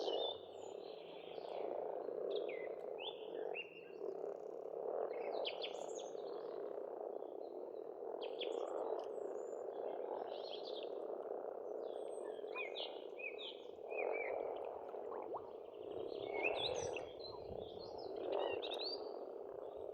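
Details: Frogs in full chorus at a pond on an Estonian farmstead in spring: steady overlapping croaking that swells in places, mixed with frequent chirping and whistling birdsong.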